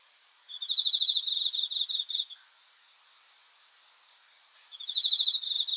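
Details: Cricket chirping after dark, meant to help with sleep: a buzzy train of quick high pulses lasting nearly two seconds, a quiet gap, then the next chirp train beginning.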